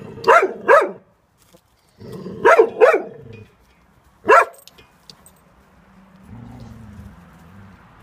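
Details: Cocker Spaniel named Jack, frightened by neighbours doing garden work, lets out paired yelping barks followed by a lone bark, then falls quiet while a low hum continues.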